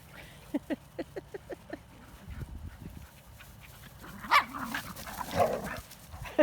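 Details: Kali, a female American Bulldog in foster care with Green Dog Rescue, wrestling with other dogs: a series of short, evenly spaced yips and grunts, then louder growly bursts, with scuffling and a person's voice and laughter.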